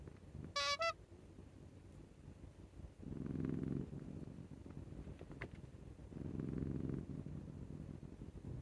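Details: Male Scottish Fold cat, born May 2021 and described as affectionate, snoring like an old man because neck scratching feels so good; a brief high squeaky tone early on, then two long, low rumbling snore breaths a few seconds apart.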